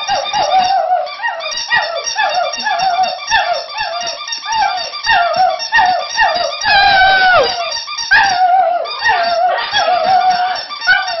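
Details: Border Terrier giving a steady stream of squeaky, quavering howls, short downward-sliding yelps packed closely together, with a louder, higher wail near the middle.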